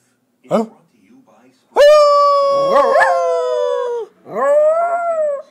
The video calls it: Min pin howling like a wolf